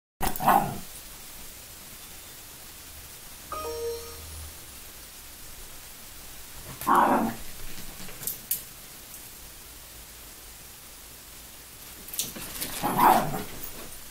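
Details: Rolo and Misty, two five-month-old Yorkshire Terrier puppies at play: three short, sharp yaps spaced roughly six seconds apart, with a brief tonal whine between the first two and quiet shuffling in the pauses.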